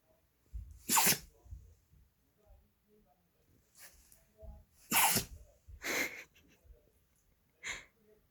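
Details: Pet dog Gureum sneezing indoors in a small room: sharp, explosive bursts near one, five and six seconds, a softer one near eight seconds, with faint snuffling breaths in between.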